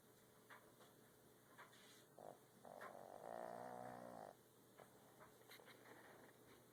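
A Boston Terrier gives a single soft, raspy snore lasting about a second and a half.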